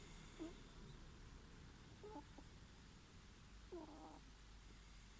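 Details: Soft snores from a sleeping ferret: three faint, brief squeaky breaths with slight downward slides, spaced unevenly, over low background rumble and hiss.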